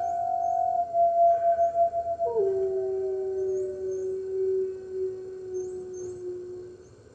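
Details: Early-morning howl from red wolves at the NY Wolf Conservation Center, captured by webcam on March 15th, 2013, as they join the other wolves: a long steady tone that drops sharply to a lower pitch and holds for several seconds.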